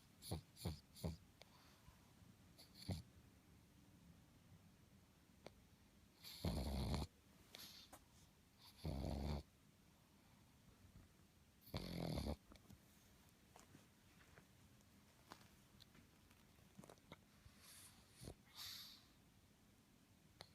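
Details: Sleeping pug snoring indoors: three loud, buzzy, rattling snores near the middle, each about a second long, among many shorter snuffles, clicks and breathy puffs.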